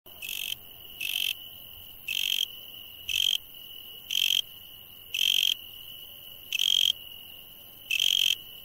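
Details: Insects at night give loud, high, buzzy bursts roughly once a second over a steady thin drone.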